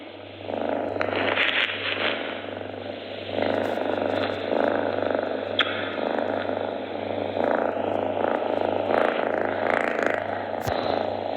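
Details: Purring house cat, its purr said to cure sickness: steady throbbing rumble swelling and fading with each breath over several cycles, a faint electrical hum underneath and small scattered clicks.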